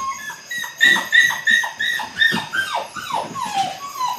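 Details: A litter of 8-week-old Belgian Malinois pups in early bite work, whimpering in a quick run of short, high whines, several per second, each sliding downward, the cries crowding together.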